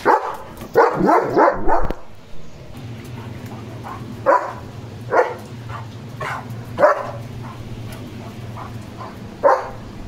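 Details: Leo, a German Shepherd dog, barking while being given a bath: a quick burst of four or five sharp barks, then single barks spaced roughly every one to two seconds over a low steady hum.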